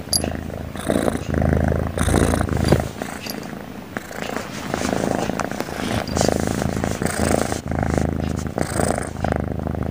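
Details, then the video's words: Cute cat that keeps snoring in its sleep: low, rough, purring-like breaths rising and falling in a slow, somewhat uneven rhythm, quieter in the middle stretch. "kucing lucu tidurnya ngorok melulu"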